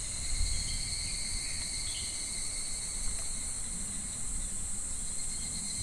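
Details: Cicadas droning in July midsummer beside a shallow, slow-flowing clear stream: a steady, unbroken high buzzing hum with no pauses, over a soft low murmur of water.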